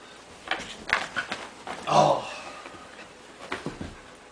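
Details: Scottish Terrier being silly indoors, giving a short voiced whimper around the middle, with scattered scuffling noises and a person calling the dog over.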